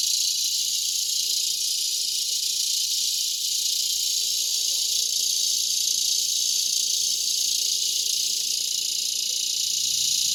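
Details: August 2020 cicada chorus in a mulberry tree before sunset, Broken Arrow, Oklahoma: an intense sizzling high drone holding constant, with a slight dip around three seconds and faint low rumble beneath.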